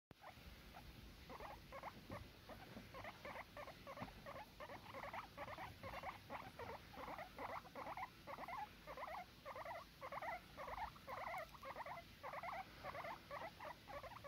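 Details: Guinea pigs chattering during bedtime cuddles: a steady run of soft rapid pulsed chirrups, roughly two per second, each a mid-pitched grainy burst, over a constant background hiss.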